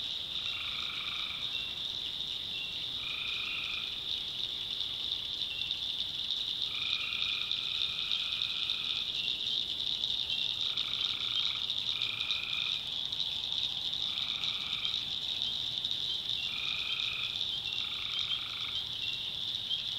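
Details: Tree frogs at night in the North Carolina backwoods give evenly pitched, nasal croaks of half a second to two seconds, spaced irregularly, while a steady shrill high drone fills the background throughout.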